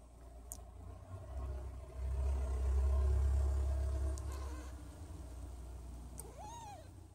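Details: Don Sphynx cat purring: a steady, deep low rumble that swells in the middle and then eases off, with a short rising-and-falling meow near the end and faint rustling.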